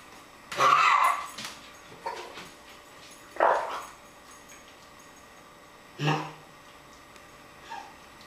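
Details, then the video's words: Puppy coughing: short harsh, breathy bursts, the strongest near the start and two more a few seconds apart, with a fainter hack between and a soft sound at the end over quiet background. "puppy cough"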